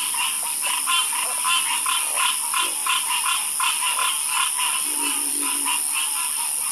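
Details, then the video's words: Night chorus of frogs: many overlapping croaks pulsing roughly 85 times a minute in uneven bursts, a few lower croaks standing out, over a constant high-pitched background hiss. "Sleep Like A Baby With The Calming Sound Of Harmonious Frog Croaking"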